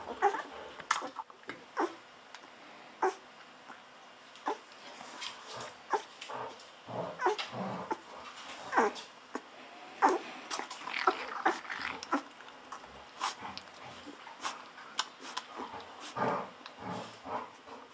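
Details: Hungry Golden Retriever puppies, fourteen days old, offspring of Aiko of Haarby and Lady Dina, whimper and squeal while bottle-fed milk, mixed with sharp smacking and slurping clicks throughout.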